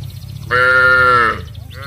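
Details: Village cattle calling their companions on the way down to the rice fields: one steady, even-pitched moo of under a second, loud and clear over a low rumble.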